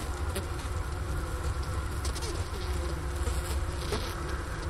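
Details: Wintering honey bees buzz inside a hive at Ohio State's Wooster campus on a 15 °F January afternoon in 2024. The recorder rests by the inner-cover hole beside sugar-brick remains. A continuous deep hum holds steady, with faint scattered ticks.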